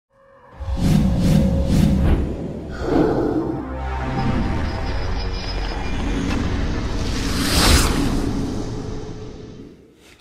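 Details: Loud, dramatic music with sweeping whoosh effects fills the whole stretch, with no animal voice present.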